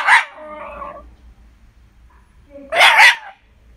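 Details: Two harsh, noisy barks from a Shiba Inu at home, the first followed by a brief trailing whine, the second broad and rasping, with a quiet low hum in between.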